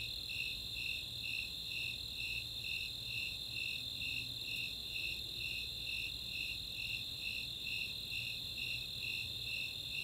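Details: Snowy and Four-spotted Tree Crickets calling together on a summer night at Chautauqua open space in Boulder, Colorado; rhythmic high chirps roughly twice a second layered on a constant ringing trill, faint low rumble beneath.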